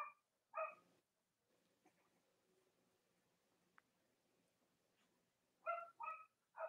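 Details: Cavalier King Charles Spaniel puppies in a US home on a chilly Monday morning before Halloween, with three nursing mothers nearby. Short harmonic yips in quick pairs open and close the recording, separated by a long quiet stretch of faint room noise.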